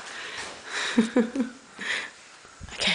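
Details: Pet cat named Gringo, a male, indoors while playing catch: a short run of three quick rising-falling meows near one second, then a softer call, amid a man's voice and room noise.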